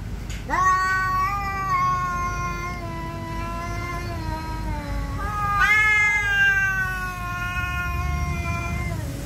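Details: A Siamese cat enraged at an orange cat that will not leave its territory, fighting; long drawn-out harmonic yowls, a wavering sustained wail followed by a second sharper rising howl that slowly falls.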